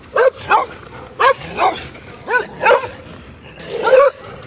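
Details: Barking from neighborhood dogs: about eight short, yappy barks in loose, uneven bursts, some doubled, with one louder and longer bark near the end.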